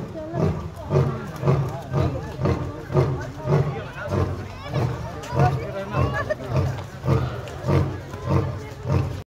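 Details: A lion at Lucknow Zoo gives a run of deep, grunting roars about twice a second, with people talking over it.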